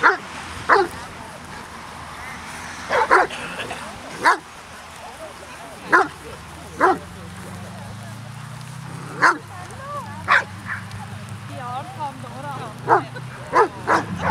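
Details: Twelve Hovawarts from the "Vom Wildenstein" kennel line meet with twenty-two people on a rainy day. Single sharp barks ring out every second or two, sometimes paired, amid lively human chatter and a low rumbling hum.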